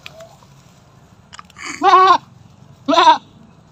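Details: Domestic goat giving birth for the fifth time: two loud, wavering bleats about a second apart, each strongly harmonic and slightly quavering, with a quiet low background hum between them.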